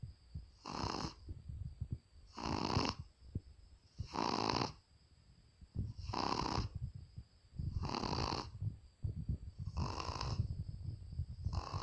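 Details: A Shih Tzu sleeping soundly snores with harsh, rattling breaths about every two seconds. Each snore is a broad, buzzy rasp with quieter breathing between them.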